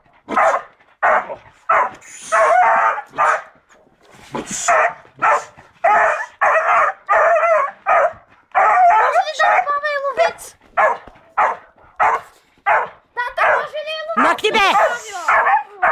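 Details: Seven-month-old beagle giving a string of loud baying barks and howls with wavering pitch, some shorter yips, while a person speaks and calls out commands.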